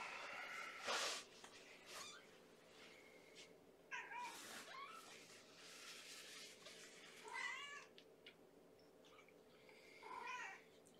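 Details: Female kitten Amber, starving at bedtime feeding indoors, in a kennel with mother Gamora and four littermates born April 14; several scattered short meows, a few quavering, between louder rustles and bumps.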